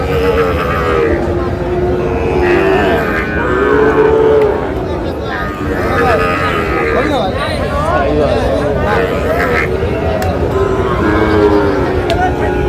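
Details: At a crowded Bangladeshi cattle market in Noakhali, 18 June, where a Sahiwal bull calf changes hands, repeated deep moos, some bending upward, sound amid steady human chatter and occasional shouts.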